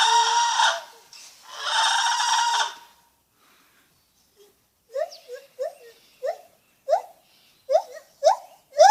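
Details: Lar gibbon giving a quick series of short, sharply rising hooting notes in its second half, after two bursts of harsh, broadband screeching and a pause.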